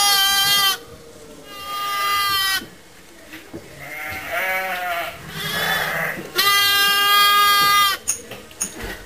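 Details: Motherless lambs kept in a pet lamb pen, where they are watched over and fed regularly. Several loud, harmonic bleats, long and level, come at about 0 to 1, 1.5 to 2.5 and 6.3 to 8 seconds, with softer bleating from other lambs in between.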